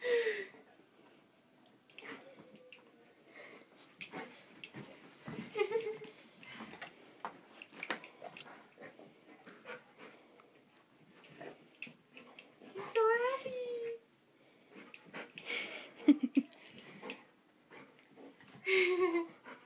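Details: Golden Retriever named Sammy, playing with tennis balls indoors in a small room, gives breathy wheezes and snuffles, then high, tremulous whines that rise and fall, loudest near the middle and at the end, with a brief word of human speech.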